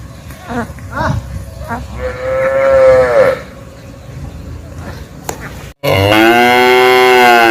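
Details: Calf moo rising and falling over about a second amid noisy background with scattered knocks and murmurs, followed by a louder, steady moo at the end.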